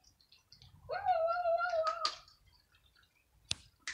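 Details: Indoors in the evening, five kittens and cats compete over a pile of dry kibble; one drawn-out, steady, slightly wavering meow lasts about a second, followed by sharp clicks of crunching food.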